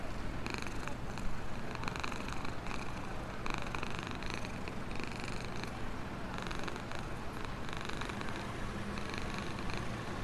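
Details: Contented black stray cat, fed outdoors and living in a box beside a store, purring steadily; low continuous rumble with breathy bursts swelling and fading about every second, no other clear sounds.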